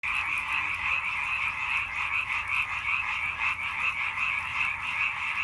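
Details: Many frogs croak together in a dense, unbroken chorus of fast, rasping, pulsing calls that overlap steadily for the whole stretch, with no other clear sounds.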